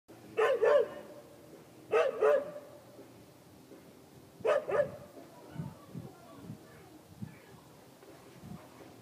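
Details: Pet dog barking at an orange indoors; three sharp, loud double barks about two seconds apart, then quieter, lower thuds and muffled sounds for the rest.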